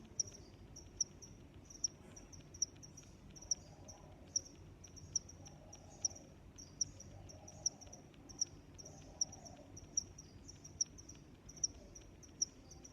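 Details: Cricket chirping in a relaxing nature recording: short high-pitched chirps repeated steadily about every 0.8 seconds over a faint low background hum, with soft mid-pitched murmurs drifting in and out.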